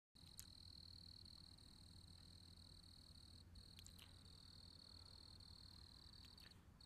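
A cricket trills steadily on one high, thin pitch, over a low background hum.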